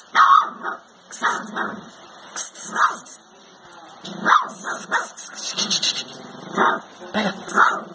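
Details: A Rottweiler puppy playing with a child gives short, wavering howls mixed with high yips, with a TV audible from another room.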